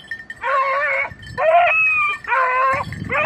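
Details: Red and blue tick and lemon-white beagles at hare hunting practice on Crete, Greece, 2022: a run of drawn-out, tonal, harmonic bays, each about three-quarters of a second long, repeated almost without pause.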